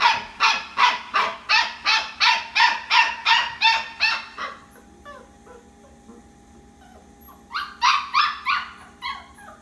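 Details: Restless puppy at night, the only one of the litter still awake, taking around two minutes to quiet down: high, piercing yips repeated about three per second for four seconds, a short lull, then another quick burst.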